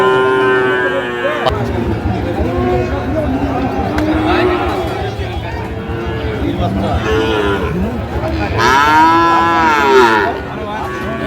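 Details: At Ambari market in Dinajpur, Bangladesh, farm-suitable Sahiwal bull calves are bought and sold on the first of Ramadan 2025. Several low moos build to a loud, long bellow near the end, over steady crowd chatter.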